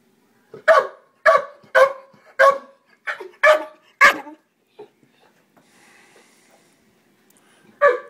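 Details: American Bulldog named Schepp reacting to a neighbourhood cat called Puffy, who is after a bird in a holly bush; a rapid run of seven loud, sharp barks over four seconds, a pause with faint background sounds, then one more bark.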